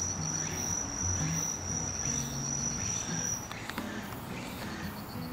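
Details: Walker's cicada singing as autumn arrives: a steady, high, unbroken buzzing tone holds for about three and a half seconds, then cuts off, leaving low background rumble.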